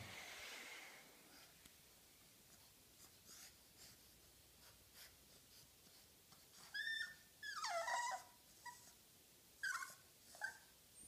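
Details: A female French Bulldog puppy about 4 months old, playing at home, gives short, high whining yelps that slide downward after some soft snuffling breaths.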